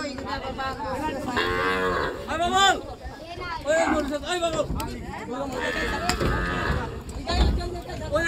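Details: Big cattle and bulls unloaded from a boat at Gabtoli cattle market, 2022: several loud arching moos in quick succession, each swelling then dropping, with people talking in the background.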